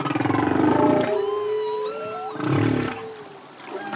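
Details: Deep bubbling moan from a solo male humpback whale's song, followed by a long steady tone with faint rising whistles above, then a second low throbbing groan.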